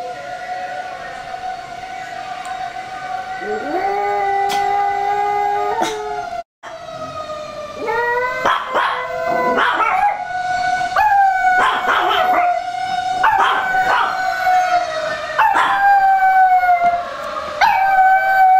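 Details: A female long-coat Chihuahua howls in response to a siren, in long, wavering, fairly high-pitched tones broken by short yelps; another startled dog is also barking.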